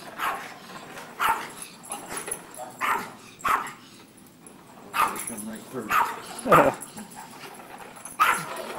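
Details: Dog barking at a vacuum cleaner, with short separate barks every second or so, some in quick pairs, mixed with a person talking in the background.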